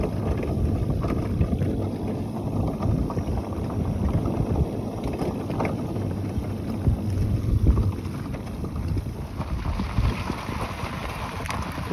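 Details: Steady, loud rumbling of wind buffeting the microphone together with vehicle-like motion noise fills the whole stretch; no animal calls stand out.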